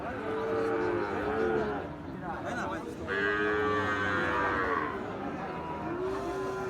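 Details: Gir and Sahiwal breed bull calves for sale at Ambari cattle market, held Fridays and Mondays. Several drawn-out, low lowing calls with arched tones are separated by short pauses, over steady crowd murmur and background music.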